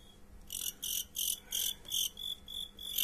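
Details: Fighting crickets during a bout: high, shrill chirps in short bursts, about one every third of a second, gradually growing louder toward the end.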